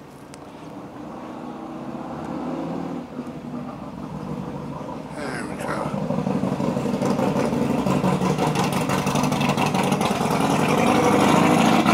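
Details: Car engine steadily revving and growing louder outdoors, with some speech in the first seconds and no animal sound.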